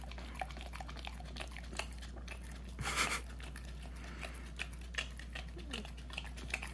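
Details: Nearly one-year-old puppy working at peanut butter inside a small room, with sticky licking and smacking clicks throughout, a short louder rustling burst partway through, and a low steady hum underneath.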